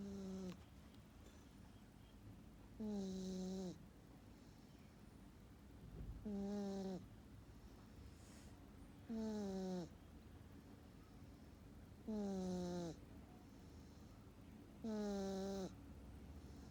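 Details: Sleeping domestic cat snoring like a human, deep sleep: a tonal, harmonic snort with a breathy hiss on top, each lasting under a second and repeating about every three seconds, six snores in a row in a quiet room.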